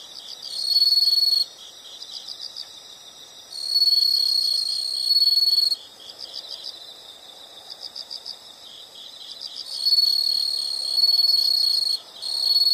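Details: Relaxing nature sound of insects: repeated bursts of intense high-pitched trilling, each about two seconds long, come at irregular intervals, while softer rhythmic chirps of other insects fill the pauses.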